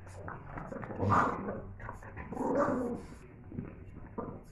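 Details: Boston Terriers at play with their families, giving two loud, rough growling barks about a second and a half apart, then a softer third, with people talking in an indoor room between them.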